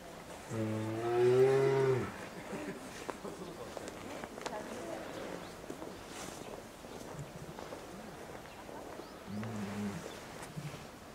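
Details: Lila, a two-year-old female polar bear at Maruyama Zoo, Sapporo, Hokkaido, on 19 January 2017, kept in a cage enclosure with her 22-year-old mother Lara, calling repeatedly to demand nursing. A long, low, harmonic moaning call is followed later by a shorter one.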